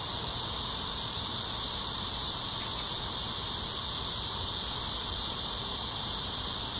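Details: Cicadas in chorus at Amsa Ecological Park on the Han Riverside, Seoul, South Korea, during an early evening summer walk between 6 and 7 PM on July 26, 2021, in a heat wave: a steady, dense, high hissing drone without a break.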